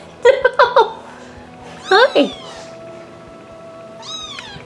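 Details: Domestic cats filmed at home meow several times in short bursts, two quick calls then a pair of rising-falling meows, with a later drawn-out meow; a person talks to them softly in between.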